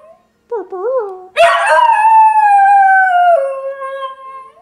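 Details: Pet dog singing: short wavering tones, then a long sustained howl with rich harmonics that slowly falls and steps down near the end, held for about three seconds.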